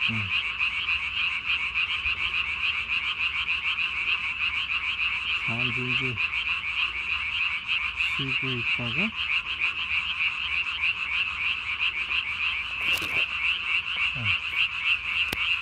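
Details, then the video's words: Japanese tree frog calling at night, recorded 3 May 2020, its vocal sac under the chin inflated to its body size: a loud, fast, rasping pulsed croak repeated several times a second, with brief low voiced sounds at intervals. "밤에 우는 청개구리 울음판이 몸통 만큼 크네요?"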